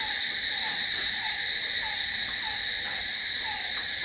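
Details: Short stretch of nighttime crickets: constant piercing, ringing trill with a soft chirp sliding downward about every half second beneath it.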